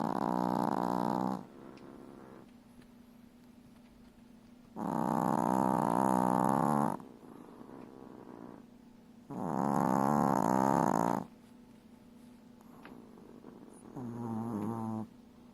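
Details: Chihuahua puppy asleep beside her mother, snoring loudly like a piglet: three long, rasping, droning snores, each lasting about two seconds and spaced roughly four seconds apart, with quieter breathing between them and a shorter fourth snore at the end.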